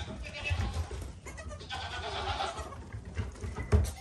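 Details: Young goat kid bleating, a muffled nasal cry swelling in the middle over heavy low rumble and handling noise.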